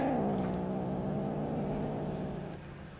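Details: Angry two-month-old kittens near their mother cat, growling at a person feeding them: one steady, low, droning growl held for about three seconds that fades slightly at the end.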